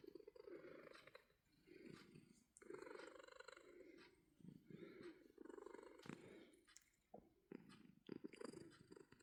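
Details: Domestic cat purring while being booped, a steady low rumbling purr in long pulsing phrases with brief pauses between breaths, a few soft clicks and rustles on top.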